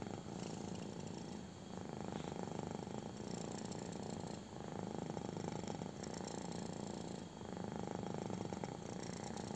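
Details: Young kitten enjoying a belly rub, purring hard: dense, even rumble made of rapid pulses, broken by brief breath pauses about every three seconds, with faint rubbing and fur rustle overlaid.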